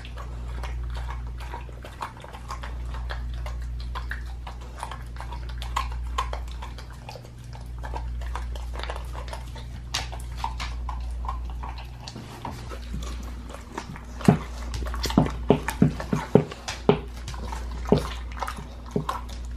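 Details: A pit bull eating a raw leg of lamb chews noisily, with irregular wet crunches and snaps over a steady low hum.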